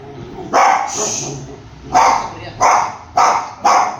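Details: Dachshunds quarrelling over their owner's lap let out loud, harsh barks, one early then four more in quick succession, with low growling between them.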